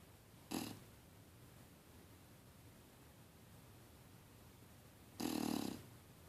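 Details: Bulldog snoring while dreaming in deep sleep: two loud, raspy, breathy snorts about four and a half seconds apart, each lasting under a second, with quiet stillness between them.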